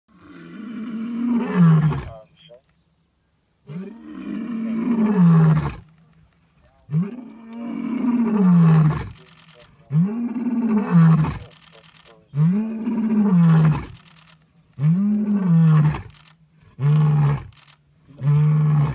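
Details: A male lion at Djuma Private Game Reserve, August 2017, heard in person, gives a series of deep, moaning roars, each rising and falling, repeated every two or three seconds.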